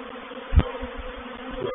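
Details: Honey bees of a reproductive swarm entering a bait hive at Painted Peacock Manor, 4 July 2021: continuous low buzzing drone with a short thump midway and a sharp knock at the very end.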